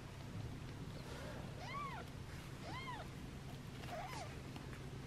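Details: Newborn rescue kittens on their third day of hand-rearing, losing weight and fed formula every two hours, give three thin arched mews, each rising and falling, spaced about a second apart over a steady low hum.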